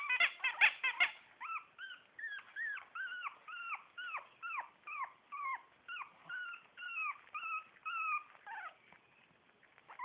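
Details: Four-week-old Shih Tzu puppies in a litter: a burst of sharp squeals, then a steady series of arched, rising-then-falling whines repeated about every half second, fading out near the end.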